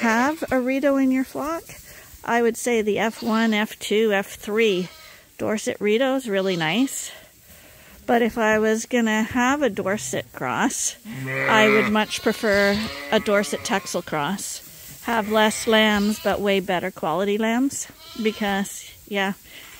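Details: Bottle-fed lambs at Ewetopia Farms, still on their mothers but not getting enough milk, crowd a hand-made bottle feeder; overlapping quavering bleats from several lambs, nearly continuous, with brief gaps around seven and ten seconds.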